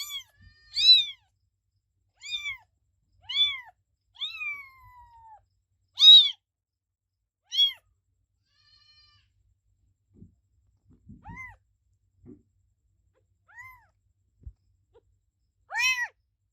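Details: Kitten giving a run of high, clear mews, several in quick succession early on, one drawn-out call sliding downward, then a quiet stretch with soft thumps before a few fainter mews and a final loud one.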